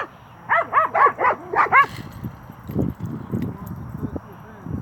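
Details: Nine-month-old Cane Corso Xina at play with another dog gives a fast run of six arched, tonal yips in under two seconds, followed by low, scuffling thuds and murmurs.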